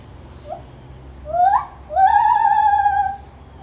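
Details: Zoo-kept lar gibbon giving a short rising note, then two swelling hoots that climb steeply and level off into a long, slightly quavering tone, the second drawn out over a second.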